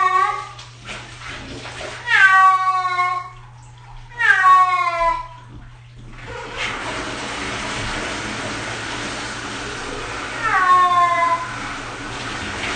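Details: Six-year-old cat protesting its first bath: a series of long, loud, wailing meows in quick succession, then a stretch of hissing running water before one more drawn-out meow near the end; low electrical hum throughout.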